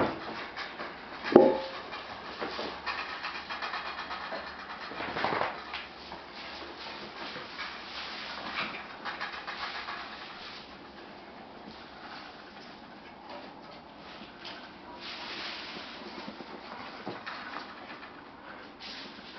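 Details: Australian Shepherd puppies in daycare, indoors: one sharp high squeaking whine early on, then soft rustling, panting-like breathy noise and scattered faint whimpers over a steady low hum.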